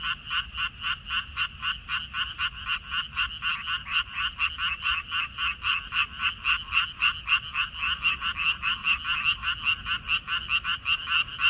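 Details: A loud chorus of frogs in a water-parsley field, 14 May 2021: fast, somewhat uneven trains of raspy croaks that overlap as several callers answer one another, against a quiet background.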